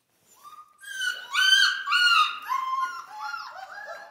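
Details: Central Asian Shepherd puppies in Michigan, whining indoors in a chain of sliding, high whimpers that first climb, then step downward in pitch, about two per second.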